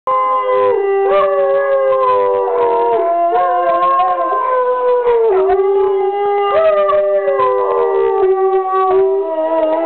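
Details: Several dogs howl together as one joins the pack's howling: overlapping long, wavering, tonal howls sliding down in pitch, with voices layered at different heights and no pauses.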